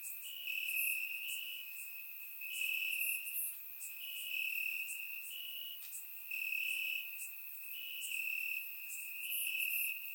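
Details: Warm summer night in Bulgaria with crickets chirping from the grass, captured by a surround microphone: an unbroken high-pitched trill plus rhythmic bursts of sharper chirps roughly each second, waxing and waning in loudness.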